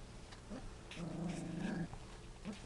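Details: Three-week-old F1 Standard Goldendoodle puppies from Rosie's litter, playing, sleeping and barking indoors; a low rumbling growl-like vocalization of about a second, with small yips before and after over steady background hum.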